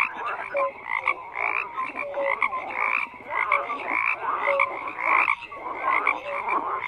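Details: Many frogs croak together in a thick chorus, bursts of raspy croaks swelling and fading roughly every second, with short clear tonal notes scattered through.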